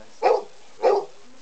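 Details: Kempie, a pet dog, vocal about getting his mealtimes, gives two short, clipped mid-pitched barks about half a second apart at breakfast time, with a person asking if he is ready for breakfast.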